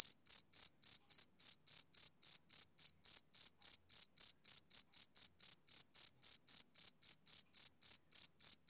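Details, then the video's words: Continuous chirping by a male cricket, a summer-evening insect, with high clean pulses at close to four per second, steady and unbroken over a silent backdrop. "Cricket Chirping Sound Effect"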